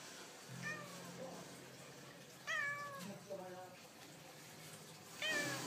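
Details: Domestic cat talking with short, downward-sliding meows at intervals of a couple of seconds, quiet room noise and a low hum beneath.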